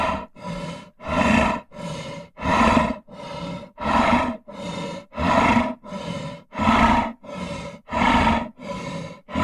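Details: A lion (Panthera leo) growls in rough, rasping pulses, roughly one every second or so.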